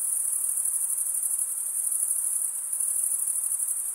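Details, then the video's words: Chirping crickets, the males producing sound by running one wing over the serrated vein of the other. A shrill, high, ceaseless buzzing trill with faint rhythmic flutter throughout the short stretch. "Most relaxing cricket sound"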